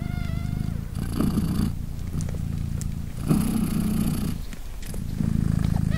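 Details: Polina, a British Shorthair mother cat, purrs while her three three-day-old kittens meow and nurse; a steady low rumbling purr with breathy brighter surges, and thin high kitten squeaks near the start.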